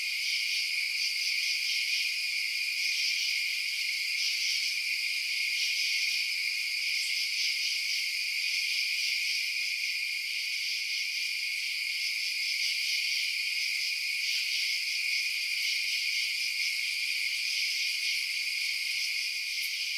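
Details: Night chorus of crickets: an unbroken, shimmering high-pitched buzz of many overlapping chirpers, steady in loudness throughout, with no low sounds beneath it.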